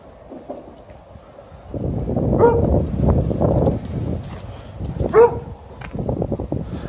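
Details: Alaskan Malamute playing tug-of-war, growling in low rough rumbles through the struggle, with two short whining yelps that rise then fall, one early and one late.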